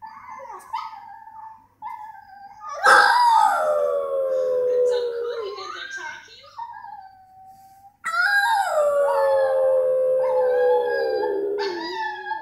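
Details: French Bulldog indoors howling in two long drawn-out cries, each starting high with a sharp onset and sliding down into a steady wavering tone, separated by a short pause with softer whines.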